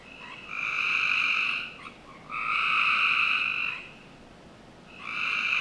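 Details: Summer-night frog chorus from a home backyard in Northern Virginia, with two long, buzzy trills of about one and a half seconds separated by a pause, then a third beginning, all against quiet night hiss.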